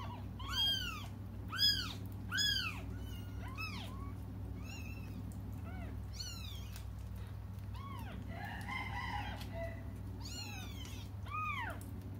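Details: Cats waiting for their mother keep crying in a long run of high arched meows, roughly one a second and at times overlapping, with a constant low hum beneath.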